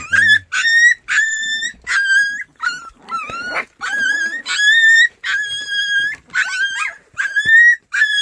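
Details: White Baekgu puppies up for adoption in Cheongdo County, Korea, whining in high, thin, wavering cries with bright overtones. About a dozen short bursts come in quick succession, some sliding upward, with brief gaps and faint voices.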